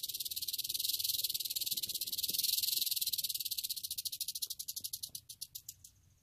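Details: A western diamondback rattlesnake shakes its rattle in a fast, dry buzz that gradually slows into separate, countable clicks and fades out at the end, over a soft low background rumble.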